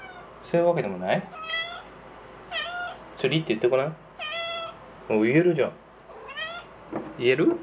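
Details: Talking domestic cat at a closet looking for its toy fishing rod, voicing "tsuri" for fishing; a series of about six wavering, harmonic meow-like utterances, some rising then falling, separated by short silences indoors.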